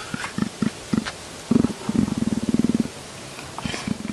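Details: A leopard being scratched, as if asking to be scratched a little higher, gives low, rumbling pulsed grunts and a rapid purring rattle.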